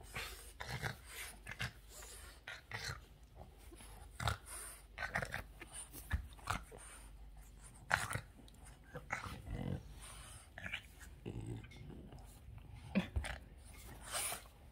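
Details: Excited Boston terrier Yoda goes from angel to crazy, with a steady stream of gruff growls, huffs and snorts, uneven bursts crowding one after another, a few sharper peaks standing out over a low rumble.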